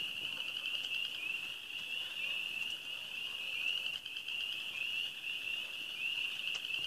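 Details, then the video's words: Early-spring frog chorus from the Ozarks: many frogs chirping together in a continuous high, trilling wall of sound, individual rising notes repeating several times a second. "The start of spring time frogs in the ozarks"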